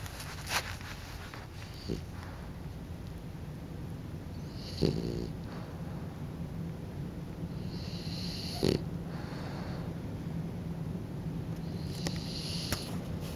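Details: French Bulldog Kokubo dozing off into sleep, snoring: soft hissing breaths recurring about every four seconds over a low rumbling background, with a few faint clicks between breaths.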